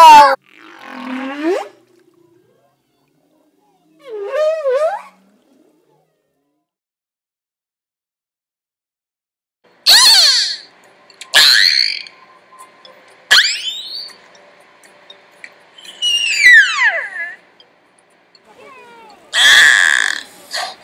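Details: Aquarium beluga whale at Niagara Falls, Ontario, Canada, giving two low warbled squeals, then a rapid series of high chirps, sweeping whistles and buzzy squeaks in close succession.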